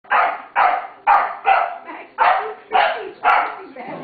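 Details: Max the corgi and Gracie the lab, two pet dogs, playing together; a run of eight short, sharp barks about every half second, with a few softer yelps trailing off at the end.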